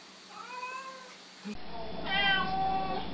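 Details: Domestic cat meowing hello: a soft, wavering meow followed after a brief cut by a louder, rising meow, recorded indoors with faint background hum.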